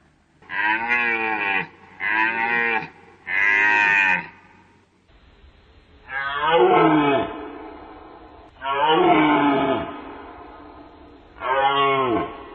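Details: Deer giving three short, nasal, bleating bellows in quick succession, then after a cut three longer, harsher calls that slide downward in pitch, each separated by a few seconds of quiet.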